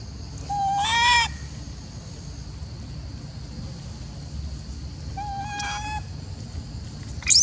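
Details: Macaque, jealous and upset at an old female being fed, gives two short, level, harmonic-rich coos several seconds apart, followed by the start of a high squeal at the end; faint low rumble underneath.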